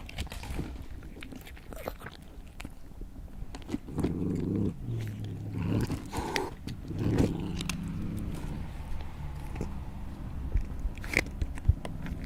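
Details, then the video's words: Cat or other animal eating: steady moist chewing and crunching, with sharp clicks and louder mouthfuls in the middle stretch. "Cat/ Animal Eating"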